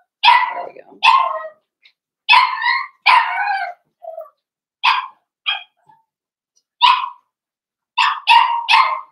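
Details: Young blenheim Cavalier King Charles Spaniels, one litter of five puppies, in a home pen. Loud, high yelps arrive unevenly: a pair, a cluster, scattered single squeaks, then three rapid yips at the close.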